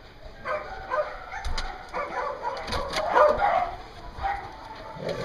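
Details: Dogs at a dog daycare in Hooksett, New Hampshire, recorded 3 October 2015; several dogs bark in quick, irregular overlapping bursts, with a steady hum and indoor clatter underneath.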